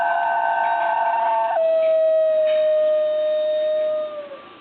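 A New Guinea singing dog gives a single high, musical howl: a wavering start, then a long steady note that drops slightly as it fades after about four seconds.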